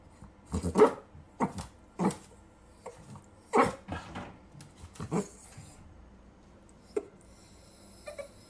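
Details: Miniature dachshund puppies at play give a burst of short, harsh barks and growls, about six in the first five seconds, then quieter scattered sounds with a few sharp clicks near the end.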